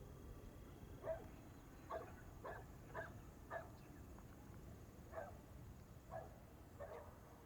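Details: Dog barking outdoors, distant short barks repeated roughly every second, separated by quiet gaps over a steady low background hum.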